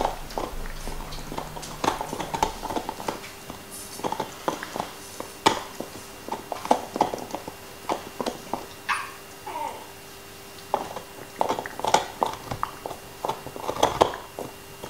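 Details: Nixon the black Labrador chewing his favorite bone: dense bursts of crunching and cracking, licking and wet mouth noises, a brief faint higher sound near the middle, steady faint hum in the background.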